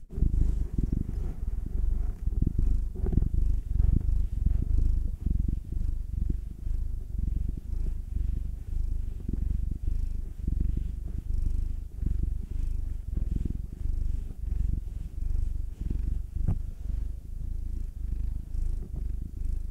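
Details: Steady low rumbling purr from massaged pet cats, Will the nine-year-old black male and Anzu the two-year-old female tortoiseshell Munchkin, pulsing continuously with short regular breath swells throughout, faint rustling touches mixed in.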